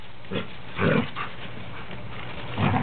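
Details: Standard poodles playing together, three dogs including a cream one said to sound like a grizzly bear; short, low, rough growling bursts recur in brief pulses, with a person urging them on between sounds.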